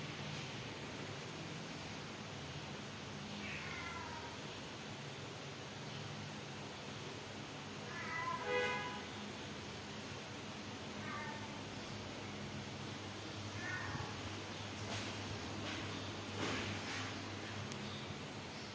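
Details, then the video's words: Kittens and cats in a home where stray kittens are fed and rescued; several short harmonic meows spaced a few seconds apart over steady background noise, with some clattering knocks later on. "Babies Cats and Kittens in Family Pet Cat Meow"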